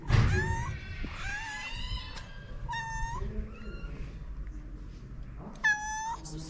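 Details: Stray mother cat and her kittens waiting for food on a street in Morocco: several overlapping high meows, some rising and falling, with one loud sharp meow near the end, over low rumbling street noise.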